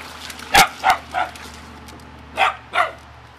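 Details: Five short barks in two bursts, three then two, from a family Beagle or Dachshund playing in water, with steady hum and faint background noise.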